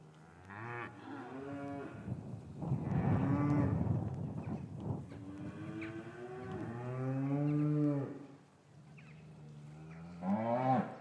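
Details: Cattle in an English cattle yard on a winter afternoon, calves separated from their mothers, recorded with a matched pair of microphones; several long, deep harmonic moos overlap and follow one another, with one rising call near the end.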